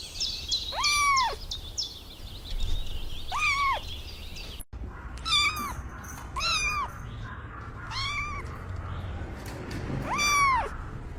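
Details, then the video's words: On grass, kittens chasing butterflies let out a series of thin, high, arching meows, rising then dropping, roughly seven calls spread over the stretch, with a short break midway and a low outdoor rumble underneath. "Adorable Kittens Stalking and Chasing Butterflies on the Grass – Meowing Sounds"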